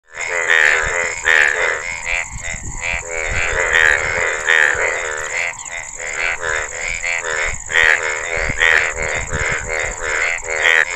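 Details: Indian bullfrog, Hoplobatrachus tigerinus, giving a fast run of nasal, harmonic-rich croaks in quick pulsed bursts, some louder accented notes standing out, over a steady high-pitched whine throughout.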